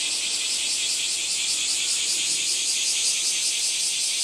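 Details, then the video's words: Cicada song as a loud high buzz, throbbing in quick regular pulses, roughly two or three beats a second, over an otherwise quiet background. "セミの抜け殻＆蝉の声 cast－off SEMI Cicada chirp"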